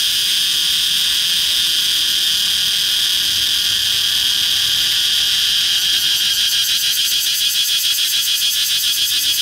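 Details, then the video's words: Cicada filmed up close on a red flame tree trunk: continuous high shrill whine, smooth at first, then breaking into a quick regular pulsing buzz near the end. "Cận Cảnh Ve Sầu Kêu Trên Cây Phượng Vĩ ✅ CICADA"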